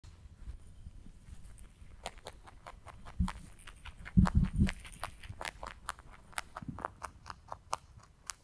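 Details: Pet rabbit eating hay, close crunching bites: scattered sharp dry clicks with a cluster of louder thumping crunches near the middle, then steady rhythmic chewing toward the end.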